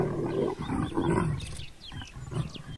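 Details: Mating leopards in Southern Africa growl and snarl in deep, rough bursts, with a few higher harsh yowls near the end.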